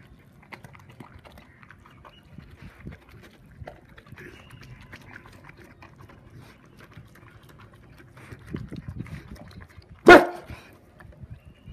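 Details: Saint Bernard showing food aggression while eating chicken rice: a low, rumbling, uneven grumble runs throughout, building near the end into a sudden loud, harsh snap-like burst, then settling back to quiet growling.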